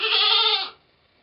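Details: Domestic goat giving birth to twins, dated 2/11/11: one loud, harmonic, nasal bleat lasting about two-thirds of a second, steady and then dropping away, followed by near silence.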